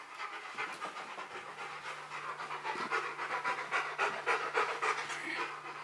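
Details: Rottweiler dog panting during a box maze challenge: steady, rhythmic breathy huffs, about three to four per second, with the rhythm holding evenly throughout and a faint constant hum underneath.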